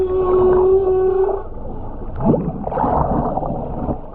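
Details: Humpback whale singing underwater in the Ogasawara Islands, Japan, filmed by a skin diver on a GoPro in January 2022; a held, even tone gives way to a quick upward sweep and dense, rolling groans.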